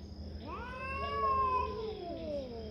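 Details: A territorial cat fight brings a long, moaning yowl that swells upward from a low start, sustains a steady wavering tone, and droops away at the end, with a faint background hum.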